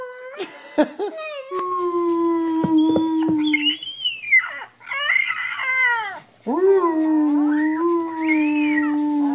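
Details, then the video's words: Puppies crying and howling: long level howls overlap with higher wavering wails, several voices at once, continuing almost without a break. "Crying or Howling??? - CUTE puppies"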